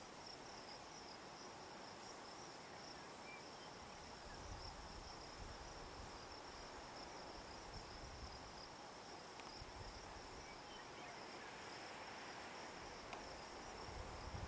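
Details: Juniper-perched Hadoa inaudita cicada in SE Colorado's Picket Wire Canyon, evening of July 9, 2009; a sustained high, flat buzz fills the whole stretch with steady background noise and a few faint ticks.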